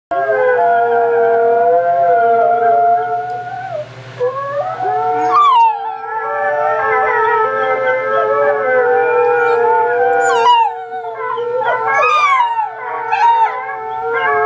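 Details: Wolf hybrid puppy howling along to an alarm clock at wake-up time; long wavering howls bend up and down, some rising sharply, over steady ringing electronic alarm tones that persist throughout.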